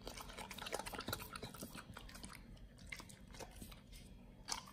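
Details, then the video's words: Pit Bull named Nomyen eating raw quails, a raw-fed BARF meal recorded close up for ASMR: quiet irregular crunching and wet biting, soft clicks scattered through a low steady room hum. "nomyen the Pit Bull SOLO VS. Quails [ASMR] | BARF | MUKBANG 動物の咀嚼音 | 犬が生の肉を食べる"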